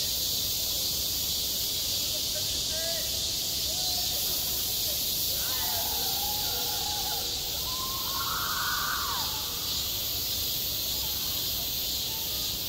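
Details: Summer cicadas calling over a school playground, self-recorded: an unbroken, high, sizzling buzz fills the recording while faint children's or people's voices rise and fall in the background.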